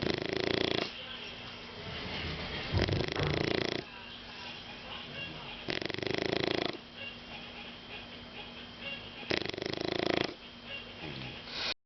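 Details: Shar Pei dog named Caco snoring while deeply sleepy: loud, rasping broadband breaths recurring every three to four seconds, with a quieter steady hum between them.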